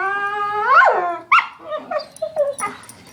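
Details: Pet dogs voicing unusual noises: a rising then falling howl-like whine, followed by a sharp yip and a string of short quieter whimpers and yelps.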